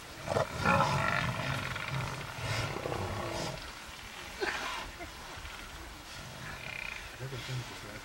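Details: Lion confronting buffalo: low, harmonic growls come in short bursts at the start, then quieter grunting snarls follow amid scuffling noise.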